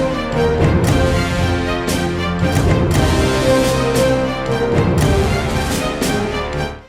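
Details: Loud theme music with drums plays throughout, and no animal voice is heard.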